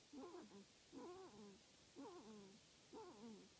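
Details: Wolverine kits calling from inside an active den; short, wavering, whiny harmonic calls that bend down in pitch, given about once a second in a steady series of four, faint against a quiet background.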